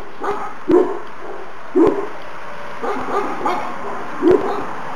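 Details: Young Šarplaninac pups, Valjana and Oleon, aged two months on New Year's Day, give sharp, mid-pitched yaps about once a second, some with faint softer yips between, against a quiet background.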